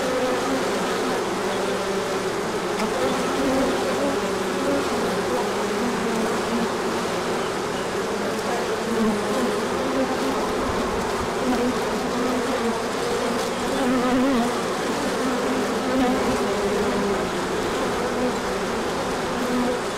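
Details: Crowds of honeybees on a large orientation flight when the sun emerges after colder weather, pollen coming in later; a long, steady, dense hum with wavering wingbeat pitches as individual bees pass close.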